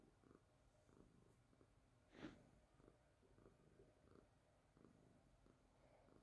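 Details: A young calico cat, petted on a couch and pawing at toys, purrs softly, a low steady rumble rising and falling with each breath.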